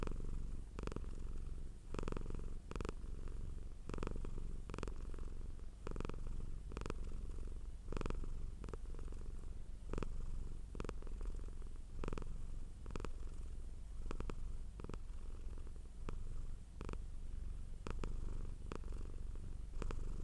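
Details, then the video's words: A pet cat purring for a long stretch, a low even rumble carrying on without a break, with many short clicking or rustling bursts scattered through it. "Purring Cat sound for Relaxation"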